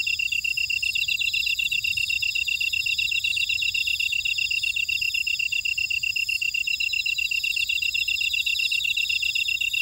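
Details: Buckwheat field insects at Ora-dong, Jeju City, South Korea: overlapping high, ringing trills and quick pulsed chirps form a steady wall of sound, punctuated by a sharp high tick about every two seconds.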